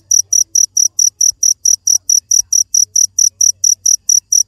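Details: Cricket chirping steadily, high shrill pulses repeated a little more than twice per second in an even rhythm, with only a faint low hum beneath.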